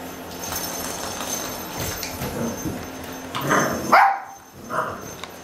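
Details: Boxer pups aged six weeks at play; after rough scuffling comes a single sharp rising yelp, followed by a softer short whine, in a small indoor room.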